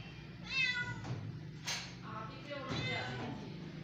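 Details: Two cats, a little one and a big one, playing indoors: a wavering, strained meow, then a softer, drawn-out mew a couple of seconds later, over a steady low hum.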